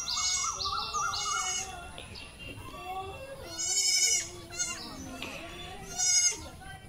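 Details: Bleats from a doe's litter of four newborn kids raised at home, high quavering cries in short bursts with stacked harmonics, some louder calls near the end, over background music and occasional human voice.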